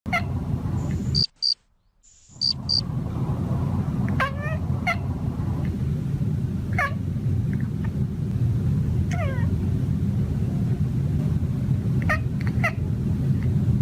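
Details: Male cat mumbling to himself while hunting birds on a patio: scattered short, falling, ringing chirps, roughly a dozen in fourteen seconds, over a steady low rumble, with a brief high-pitched whine near the start.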